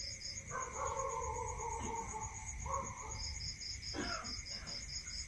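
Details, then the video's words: Night chorus of crickets in the countryside: a continuous shrill trill and rapid pulsed chirps, with breaks in the pulses. Lower wavering calls from other animals and brief knocks are mixed in. "Listening to Cricket Sound"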